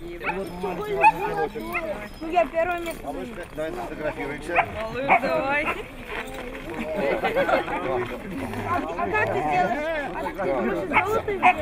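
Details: Siberian Husky, Nizhny Novgorod, 3 February 2017, producing a run of warbling whines, yelps and wavering vocal phrases that swoop up and down, mixed with continuous human chatter nearby.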